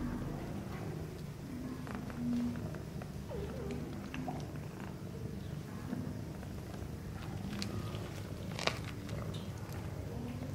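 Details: Mother Sphynx cat and kittens at play in the nest, purring in an unbroken low rumble for the whole stretch, with a brief faint squeak near the start and scattered soft rustling and clicks.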